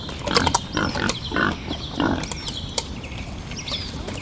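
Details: Wild boar grunting in irregular, husky bursts, denser at the start and thinning out, with a constant high buzzing drone and a few bird chirps behind.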